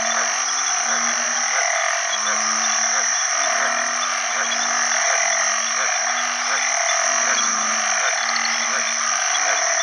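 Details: Breeding calls of banded bullfrogs after heavy rain at the start of the rainy season, sounding alongside frogs. Several deep, drawn-out droning notes overlap in a continuous round, with a bright, shrill frog and insect chorus filling the high range.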